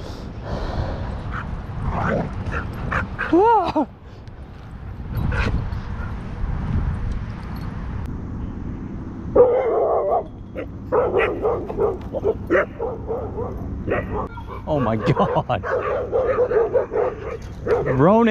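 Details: Dogs fighting at a dog park, a territorial Pit Bull attacking a Belgian Malinois twice: rough growling, scuffling and sharp rising yelps and whines, with people shouting and calling the dog's name throughout.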